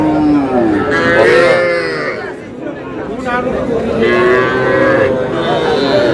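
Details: Small bull and heifer calves at a cattle market in Comilla, Bangladesh, on 12 May: a few sliding, drawn-out moos that rise and fall, surrounded by crowd chatter and men haggling.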